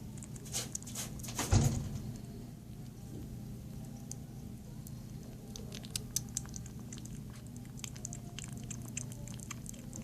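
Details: Young female cat awaiting adoption chews her food: a loud thump early on, then sparse crisp clicks and smacking bites, with a constant low-pitched hum in the background.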